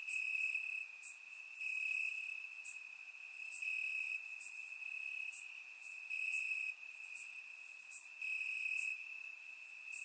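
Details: In grass on a warm Bulgarian summer night, crickets keep up an unbroken high-pitched trill with gentle surges in loudness, accompanied by intermittent thin, brighter chirps from more distant insects.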